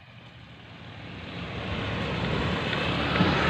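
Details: A motor engine drones and slowly grows louder, with no animal call heard.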